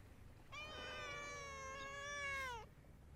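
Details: Domestic cat on a cat island in Japan, among cats gathered together rolling about: one long drawn-out meow lasting about two seconds, steady then dipping slightly at the end, rich in harmonics, over a low background rumble.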